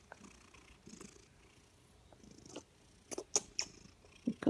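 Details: Purring female Maine Coon/Manx cat, content and happy, a low rumble underneath with several louder brief bursts of sound toward the end.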